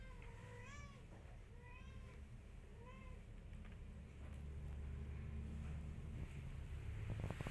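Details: A mother cat wants her kittens to follow, but the kittens ignore her. Three short, arched meows come about a second apart, then fade into a low, steady rumble of background noise.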